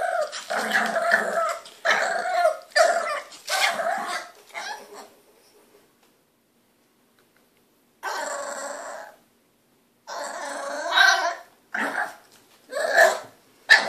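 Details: A 3-month-old female French Bulldog puppy, wanting a hand brush and getting impatient, gives a run of grumbling, whiny vocalisations broken by short pauses.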